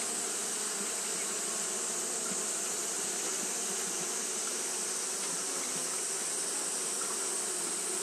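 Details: Continuous droning of Japanese honey bees fanning in the heat, a thick low hum with scattered brief louder buzzes as individual bees pass, plus a constant high hiss.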